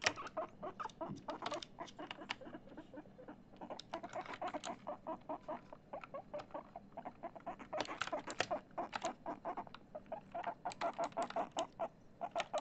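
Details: Guinea pig Chip, eager to play Among Us for the first time, makes steady rhythmic clucking, short pulses in quick bursts separated by brief gaps, with occasional sharp clicks.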